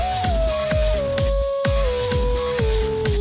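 Electronic dance music with a steady kick drum and a sustained, slowly descending synth tone; no animal sound.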